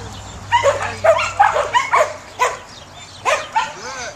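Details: Samoyed working at herding, letting out a handful of high, bent yips with a rising-falling contour, bunched in quick pairs, then a pause and two more, plus a low background drone.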